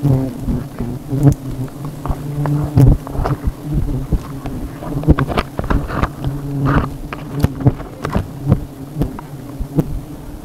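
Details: Honey bees at a hive on the tip of an umbrella: a steady low droning hum runs throughout, broken by frequent sharp clicks and knocks.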